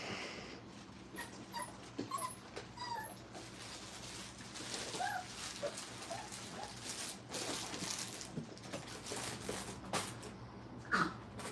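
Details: Brittany puppies getting used to a crate during kennel training let out scattered high, thin whines and brief yips with soft harmonics. Low room hum runs steadily underneath.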